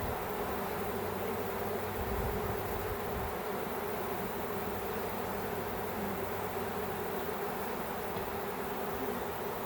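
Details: Many honey bees swarming in a back yard, heard as a continuous low droning buzz with a steady deep hum running underneath for most of the stretch, constant and without breaks.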